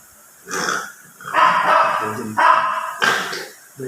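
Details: Silver poodle in Bolinao giving four short, tonal, yelping barks spaced under a second apart, each with a bright, strained edge, in a quiet setting.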